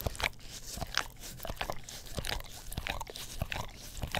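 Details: English Cream Golden Retriever pet dog licking an Orapup tongue cleaning brush indoors beside a Blue Yeti stereo microphone: wet, crunchy clicks and smacks in uneven bursts, with a faint low hum underneath.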